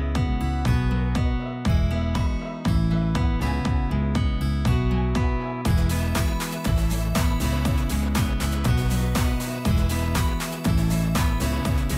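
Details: Upbeat acoustic guitar music strums steadily with a bright plucked melody and a regular rhythm; no animal sound is heard.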